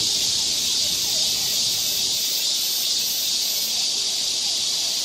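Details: Cicadas massed in the forest of Galsan Park, Yangcheon-gu, Seoul, in summer form a steady, piercing electric-like buzz; faint rhythmic waves ripple through the highest part of the drone.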